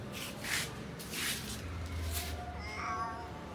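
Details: Cats in a garden, one described as a lion-like cat, with tall and short cats; short rising-falling meows near the start and end over steady traffic rumble.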